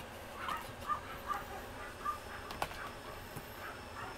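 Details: Female Pomeranian puppy, 60 days old, isabella and white coat, at a breeder in Mie, Japan, on October 7: short, high squeaky whimpers repeating roughly every half second over a steady background hiss, with one sharp click midway.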